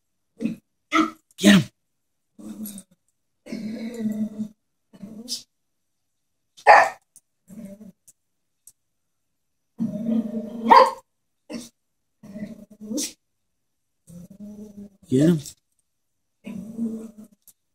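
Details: Chihuahua frightened by a stuffed toy horse, giving bursts of low rumbling growls broken by sharp, high yapping barks, with short quiet gaps between outbursts.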